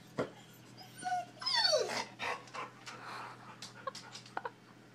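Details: Pet dog whimpering to get at another dog outdoors: a few short, high, sliding whines and yips, one longer falling whine near the start, then scattered faint clicks and rustling indoors.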